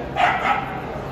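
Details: Scottish terrier at KC Rijnland giving a single short, sharp bark that rises quickly and fades within half a second, over a low steady background hum.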